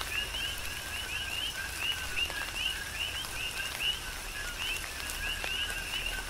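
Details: Big Island, Hawaii, in tropical rain: a chorus of coqui frogs gives repeated two-part calls, a short low note then an upswept higher whistle, about one per second from several animals, over a steady hiss of rainfall.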